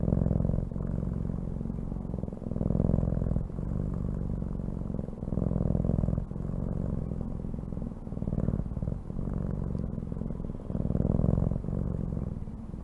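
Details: A cat purrs steadily, a deep vibrating rumble that swells and fades in breathing cycles roughly every one and a half seconds.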